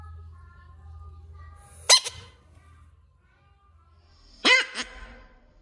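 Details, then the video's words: Screaming bullfrog giving two brief, sharp, downward-sliding cries about two and a half seconds apart, with a low hum and near silence between them. "Bullfrog screaming"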